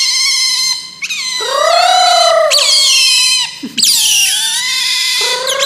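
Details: Otter (berang-berang) giving long whining squeals, some held and gently arching, others sharp downward-sliding shrieks, rich in overtones and nearly continuous; no other sounds.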